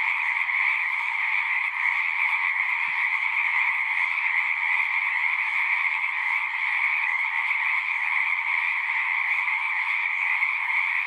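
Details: Frog chorus at a pond in a horse pasture, recorded on a Zoom recorder: a dense, continuous wall of high trilling calls from many frogs, steady throughout with no pauses, and a single faint low thump near the three-second mark.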